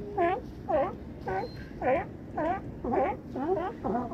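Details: California sea lions at Crescent City harbor, with one giving a steady run of hoarse, harmonic barks about twice a second.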